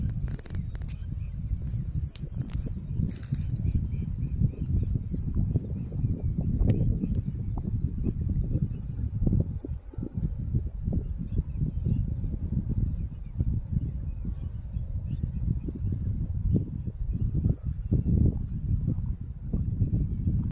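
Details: A cicada making noise: a steady, unbroken high buzz runs through the whole recording as two even tones, over heavy low rumbling noise.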